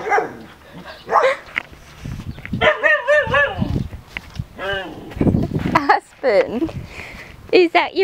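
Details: Female Siberian Husky talking to a dog next door through the fence, wavering moaning howls mixed with a person's voice asking questions nearby.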